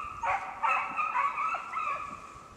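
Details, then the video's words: Beagle trailing a snowshoe hare during a hunt in the Allegheny National Forest, northern Pennsylvania, snowless ground; a couple of long, drawn-out bawling bays that waver in pitch, over quiet outdoor background. "BeaglesTracking Snowshoe Hare in northern Pennsylvania"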